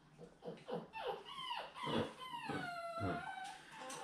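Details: Seven-week-old poodle puppies from Fancy's litter, handled indoors while their pen is changed out on 18 October 2020; a series of high, whiny yelps with falling, harmonic-rich sweeps, several overlapping, and handling noises between.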